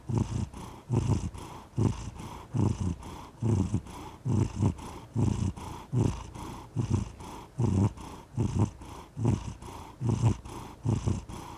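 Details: Domestic cat purring, a steady low rumble rising and falling in pulses roughly once per second, each breath cycle louder then softer; no other sounds.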